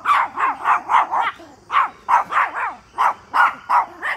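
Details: Pomeranians barking at a deer in a back yard: quick, high-pitched yaps in short runs of three to five, separated by brief gaps, about a dozen barks in total.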